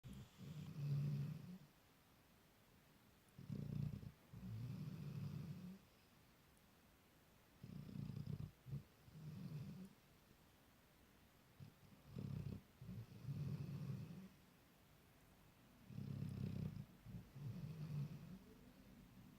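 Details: .10-month-old Labrador Retriever pup asleep for the night, snoring in slow low rumbling breaths, each lasting about a second or two and repeating every three to four seconds, with quiet pauses between.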